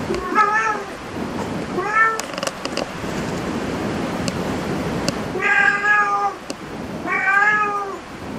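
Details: Cat at a cat cafe meowing four times, each meow about a second long and slightly arched in pitch, with clicks and room noise in between.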